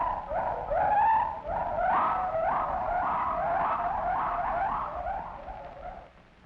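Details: A gibbon, an ape of Malaysia, at the Bronx Zoo in a 1950s film calls with loud, hooting whoops, each note swooping upward in a quick, steady rising run, over faint hiss of old recording noise.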